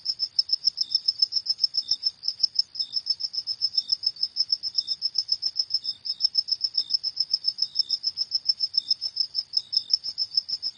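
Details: Crickets calling after dark, shrill pulsed chirps repeating quickly and evenly, around three per second, while a softer, slightly lower chirper joins every second or so; no wind or voices.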